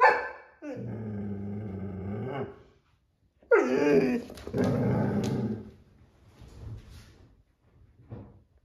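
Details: Irish Setter vocalizing: a steady, low, harmonic growl-like moan held for about two seconds, then after a pause a louder, higher bark-like cry that slides downward and breaks into rough noise, followed by faint softer sounds.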